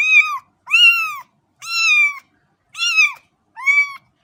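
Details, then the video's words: Five quick, strong meows from a cat within about four seconds, each curved and tonal, loud and close, separated by short silent gaps. "صوت قطة"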